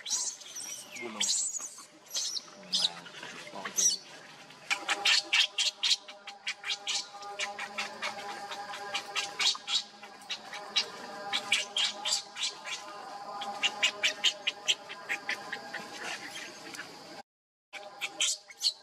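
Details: A hungry baby monkey, Leo, cries for milk from its mother: long runs of sharp, squeaky, high chirping cries repeated quickly, with faint lower tones beneath and a short dropout near the end.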